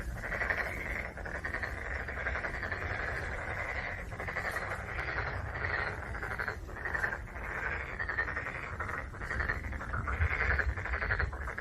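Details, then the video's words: Continuous chorus of black-spotted pond frogs, fast rattling pulsed croaks overlapping throughout, with short gaps and surges every second or two over a low rumble. "참개구리 우는 소리"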